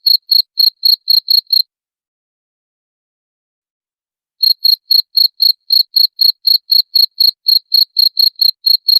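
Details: A cricket, its chirps used to drive away rats, gives a brief burst of sharp, high pulses, falls silent for almost three seconds, then resumes a regular chirping at roughly four pulses per second.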